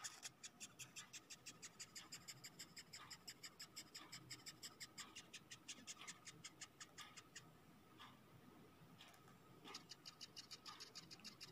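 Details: A dung beetle gives a fast run of dry, scratchy squeaks, about five per second, when touched and handled, described as crying.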